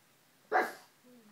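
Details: Ulysses, a pet pug, gives one sharp bark that rings on briefly before fading, followed by a faint soft whine.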